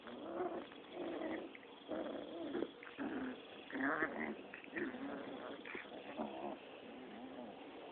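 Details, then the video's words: Rottweiler puppies, six weeks old, play-fighting: a continuous string of rough, grumbling growls in short bursts about every half second, with occasional higher squeaky yaps. "Rottweiler pups playtime 6 wks old."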